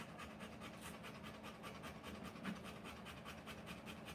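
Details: Rottweiler female panting during the live birth of her puppies: quick, breathy, hissing pulses at roughly two and a half per second, slightly uneven, over a low steady hum.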